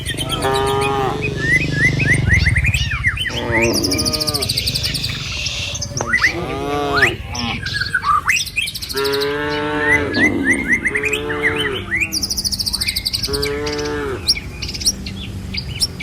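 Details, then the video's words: Cattle herded along a rural village road toward the pen: repeated drawn-out lowing moos from several animals, one after another every second or two, over steady background rumble and frequent high bird chirps. "Suara Cow Sepanjang Jalan Desa"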